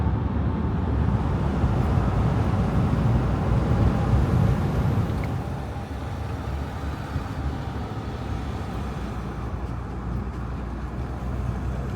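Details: Steady low rumble of vehicle traffic or outdoor machinery, with no animal voices, softening slightly after the midpoint.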